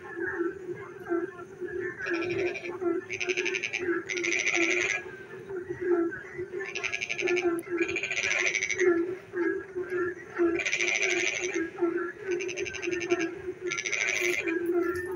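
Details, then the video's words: Nighttime frogs singing while it rains, repeated pulsed rasping bouts of one to two seconds, often in pairs, over a steady humming background chorus of many callers. "frog singing in the dark night when it rains"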